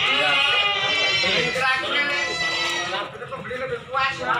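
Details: At the Silir livestock market in Semanggi, Solo, a goat among the nanny goats and kids lets out a long, loud, shaky bleat lasting about three seconds, then shorter cries, over people talking nearby.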